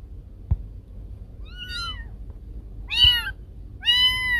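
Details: Cat meows played to drive away rats: three separate meows at uneven intervals, the later two louder and sharper, with a faint tap at the start and low room hum underneath.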